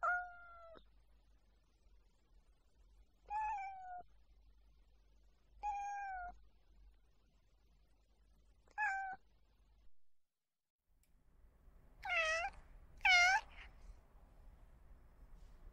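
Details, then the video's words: A domestic cat gives four steady, slightly falling meows a few seconds apart, then two louder, higher, more strained cries close together near the end against a faint background hiss. "Realistic and relaxing cat sounds"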